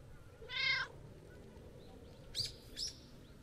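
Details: Friendly, talkative tabby-and-white stray met on a New Year walk. One strong harmonic meow is followed by two short, high, chirping squeaks about half a second apart, with a steady low hum underneath.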